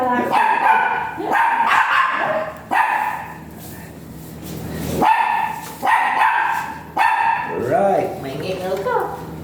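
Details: Dog at a veterinary clinic in Mapandan during an artificial insemination service, with both dam and sire still virgin, giving drawn-out high tonal whines in several bursts, broken by pauses, with human voices nearby toward the end.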